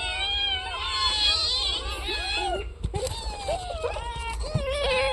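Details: Several cats waiting for their fish meow together in drawn-out, bending cries, some dipping low and looping, with a few knocks in the background and a steady low hum.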